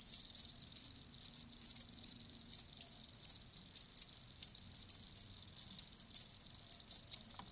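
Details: Live crickets sing clear, sharp high chirps spaced fairly evenly, around two to three bursts each second, crisp and distinct with near silence between them.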